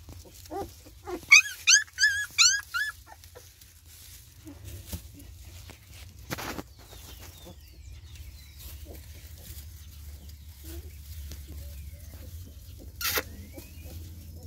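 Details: Newborn Border Collie and Spanish Mastiff cross puppies give a short burst of high, wavering squeals and whines early on, then fall quiet; a person speaks Spanish to the dogs, with low background rumble and a few knocks.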